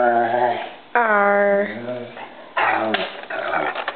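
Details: Pet dog walking around the house carrying her bone and making many different noises: three drawn-out, moaning whine-like vocal bursts with rich tones, rising and falling, with a person speaking nearby indoors.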